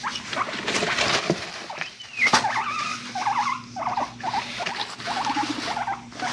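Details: Pet guinea pigs feeling frisky, chasing each other and rumblestrutting indoors; a quick run of short, squeaky mid-pitched chirps and wavering squeals rises and falls over rustling, pattering movement noise.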